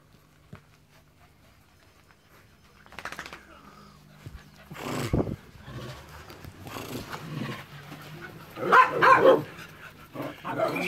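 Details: Dog barking in short, rough bursts from about three seconds on, growing louder and denser toward the end, with a longer harmonic yelp near nine seconds over a low steady hum.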